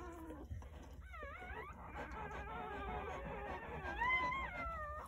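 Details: Jindo dog litter of nine newborn puppies, born on New Year's Day morning at a rural house, crying; thin, sliding whimpers and yelps overlap throughout, with one sharp falling squeal near the start and a louder wavering cry toward the end.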